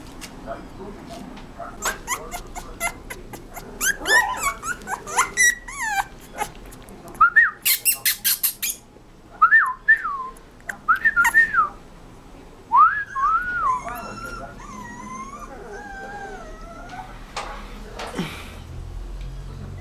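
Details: Rottweiler puppy giving bursts of sharp yelps and high, bending whines, clustered in quick runs of several notes with short pauses between, later drawn-out wavering cries; faint speech in the background.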